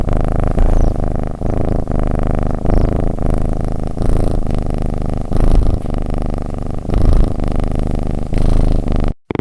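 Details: Domestic cat purring while breathing, a loud, steady low rumbling purr that swells and eases with each breath, roughly once a second, continuing without pause until a brief cut at the end.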